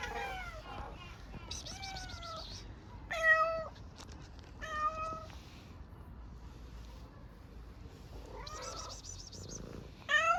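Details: Hungry stray street cat in Istanbul meowing for food: several drawn-out harmonic meows, some steady and some wavering, spaced a second or two apart, with faint chirps between and quiet street background.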